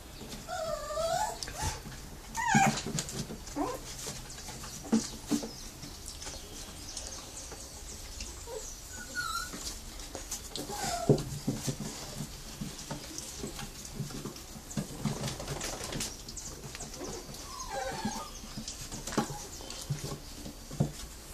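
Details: Brazilian Terrier puppies from a kennel litter in Joinville, Santa Catarina, Brazil, giving soft high whimpers and squeaky yips scattered through the recording over a steady indoor background hum.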